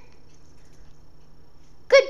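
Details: Nine-week-old Pembroke Welsh Corgi puppy named Carlton, indoors while playing with a new toy, gives one short, high yelp with bright harmonics at the very end after quiet room hum, followed by praise from its owner.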